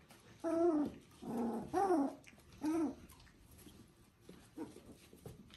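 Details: Three-week-old Border Collie puppies from one litter; four drawn-out, tonal whining cries, each bending up and then down, spaced about a second apart, followed by quieter rustling.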